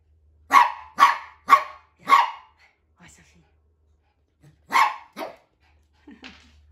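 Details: Sharp, bright barking from a playful male Pomeranian during morning zoomies alongside a maltipoo: four loud barks about half a second apart, a pause, then two more barks and a soft trailing yip near the end.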